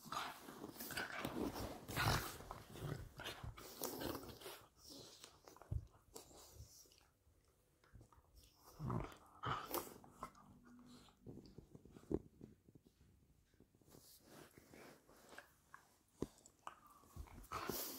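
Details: Male and female Patterdale Terriers playfighting, with intermittent low, gravelly growls among scuffling, panting and clicking claws, and bouts of noisy rough-and-tumble.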